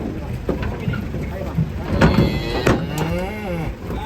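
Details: Big bull unloaded from a truck as a smaller one runs and jumps, a deep low moo toward the end amid thuds, clatter and people calling out.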